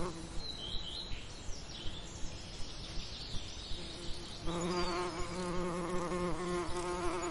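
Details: A quiet summer lavender scene with distant, thin bird twittering. Halfway through, a bee's steady, low, resonant buzz moves in close and holds to the end.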